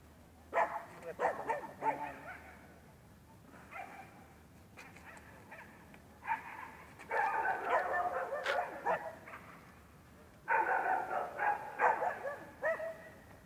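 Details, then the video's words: Rough Collie puppy during training, giving repeated short barks and yips in bursts, with clusters of rapid calls separated by quieter gaps. "Talking Blues- Rough Collie Puppy training"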